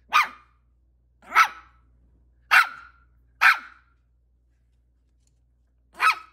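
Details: A Maltese puppy barks five times, giving short, sharp, fairly high yaps roughly a second apart, with a longer pause before the last one, against near silence.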